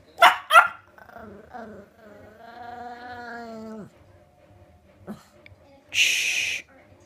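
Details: Petit Brabançon dog at play: two sharp barks open, then a long, drawn-out harmonic whine that wavers and falls off, a short yelp, and a burst of hissing noise near the end.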